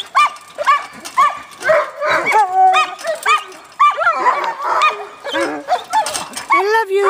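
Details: Alaskan Malamute producing a rapid series of short, bent, whiny woos and yips, about two a second and irregular, some sliding upward, with a longer rising tone at the end.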